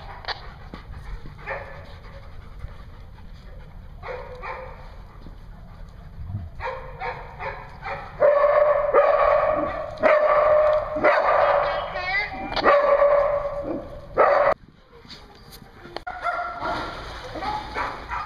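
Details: Dogs at a dog daycare in Hooksett, New Hampshire, recorded 21 April 2016. Soft scattered yips at first, then loud bursts of barking and drawn-out whining yelps from about eight seconds, with short pauses between volleys.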